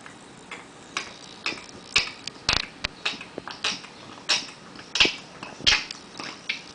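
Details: Cat puking up a hairball or two: harsh, wet, broadband gagging heaves in uneven bursts about twice a second, rising toward a stronger final retch.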